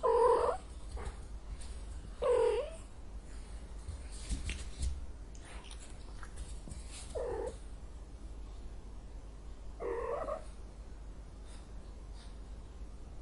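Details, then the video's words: Angry domestic cat with repeated harsh, moaning meows at irregular intervals, louder at the start and fading later, with soft clicks and rustling between calls in a quiet room. "son de chat en colere, sonido de gato enojado, angry cat sound"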